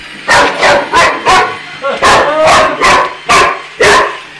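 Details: Boxer dog challenging an iRobot, barking loudly in a rapid run of about eight harsh, broad barks in just over four seconds, each a short forceful burst, indoors with a faint steady hum underneath.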